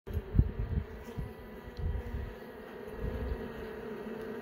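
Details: Honey bees inside an open hive during an inspection, several young bees emerging from their brood cells; a low, steady droning hum with soft irregular thumps and bumps rising and falling over the comb.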